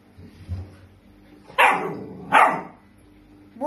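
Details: A dog barks indoors in a flooded kitchen: two loud, broad barks about 0.8 seconds apart, then the start of a third, over low background sounds.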